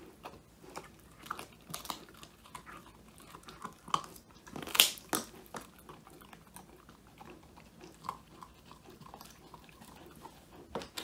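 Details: Indoors, the Old English Sheepdog Woody, a young male, eats a handmade whole-quail snack, his first treat; bright crackling crunches and bites, one loud burst near the middle, over faint room noise, phone recording.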